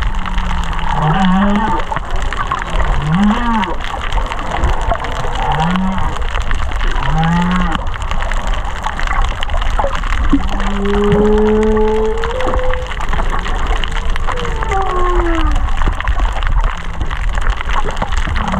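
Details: Humpback whale song heard underwater in Kaanapali Bay from under 500 metres: a series of short low upswept grunts about every 1.5 seconds, then longer held moans and higher sliding whistles, over dense crackling of fish feeding on coral.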